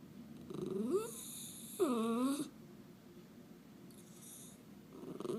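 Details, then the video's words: {'caption': 'Miniature Schnauzer making cute noises at home, two tonal whining moans, the first rising, the second swooping down then up with clear overtones, followed by quieter shuffling sounds.'} "Miniature Schnauzer Making Cute Noises"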